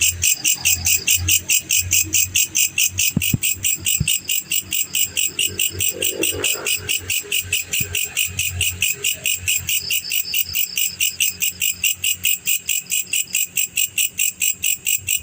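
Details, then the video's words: Steady, rapid chirping from a male black cricket (jangkrik pejantan), high shrill pulses repeating more than twice a second without pause, with a faint low hum underneath. "SUARA JANGKRIK PEJANTAN"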